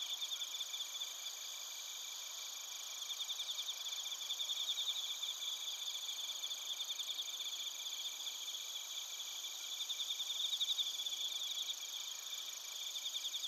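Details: Insect chorus of bell crickets and crickets from Narita in Japan's Chiba Prefecture, taped on a TASCAM Portacapture X8. Fairly quiet, steady high-pitched trilling with overlapping pulsed chirps from several callers that swell and fade.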